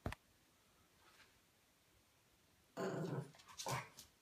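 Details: French Bulldog. After nearly three seconds of near silence, a French Bulldog puppy lets out a harsh, gravelly bark. A second, shorter bark follows about half a second later, both deep and raspy in tone.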